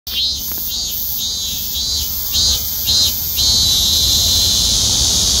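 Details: A Korean cicada sings an intense, high, hissing, unbroken drone that surges louder every second or so over a faint low rumble.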